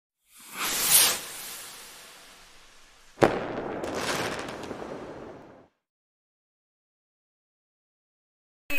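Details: Bursts of rushing spray and splashing water during a dog's shower, then silence, with no vocal sounds.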